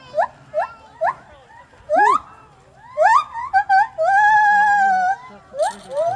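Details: Gibbon. A gibbon calls with short, upward-swooping whoops repeated about every half second, then builds into longer rising hoots and a sustained, wavering wail. A few more quick whoops close the sequence.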